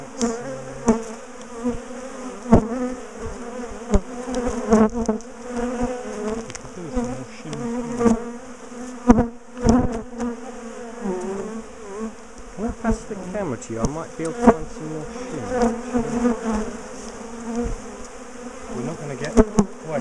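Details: Agitated bees from a big top bar hive colony during dismantling and relocation; a constant droning hum over twenty seconds, broken by frequent close passes of individual bees and occasional sharp knocks.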